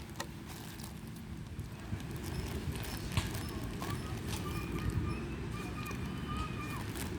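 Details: Hungry street cats begging for food, giving several faint, drawn-out meows with slightly wavering pitch in the latter half, over steady low rumbling background noise and a person's voice.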